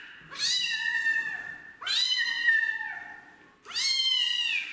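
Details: Street kitten rescued and given its first bath, resisting the shower with three long, loud meows that swoop up at the start and trail downward, separated by short pauses.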